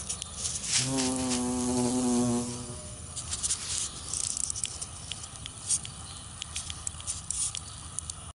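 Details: A large carpenter bee on a dandelion gives a low, steady droning wing buzz for about two seconds before fading, followed by faint rustling and light ticking against a quiet outdoor background.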